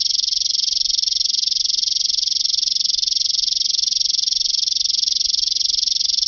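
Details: French meadow bush-cricket, Roeseliana azami, at Genesterio, Switzerland, 5 August 2023: a continuous high, dry buzzing trill of rapid, very even pulses, unbroken throughout, with an otherwise quiet background.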